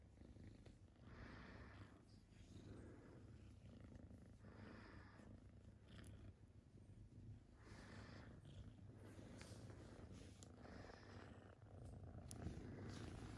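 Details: A kitten receiving a massage purrs loudly and continuously, a deep, even, vibrating rumble. Repeated soft brushing and rubbing noises from hands on fur rise and fall over it.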